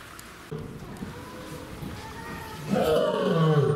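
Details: Rai, a female lion at Ouchiyama Zoo in Mie Prefecture, Japan, recorded 3 January 2018: a quiet stretch, then a loud, low, harmonic groaning roar swelling from near the three-second mark and held to the end.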